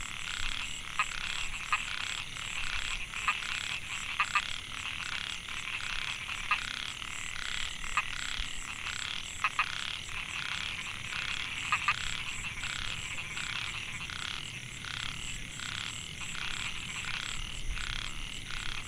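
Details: Male Microhyla pulchra narrow-mouthed frogs calling to attract females in Mae Hia rice field, Chiang Mai, Thailand, 2014: many short buzzy, pulsed croaks overlapping in a dense chorus, with a steady high insect-like whine above.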